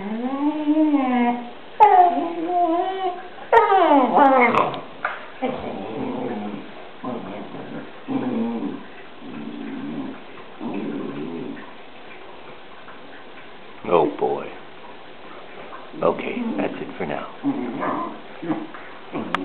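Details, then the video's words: Two Newfoundland dogs, Murphy and Molly, play fighting: wavering whines and yips at first, then a run of short harmonic grumbles and yelps, pausing quietly mid-clip before bursts of barky vocal noise resume. "murphy and molly playfighting"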